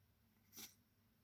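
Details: Sleeping kitten, lying in an unusual position, gives a single short, hissing sneeze: one brief breathy burst, bright and airy, in a quiet indoor room.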